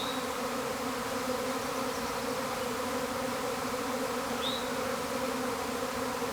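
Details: A honey bee swarm pouring from a hive, described as a tornado of bees: a constant, dense, layered humming buzz that never lets up, with two brief high chirps from a bird.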